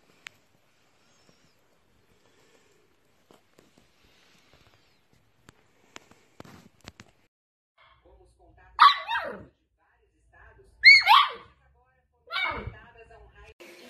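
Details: Dachshund, a playful wiener dog: near silence with faint ticks and clicks for about eight seconds, then three loud, broad barks spaced roughly two seconds apart.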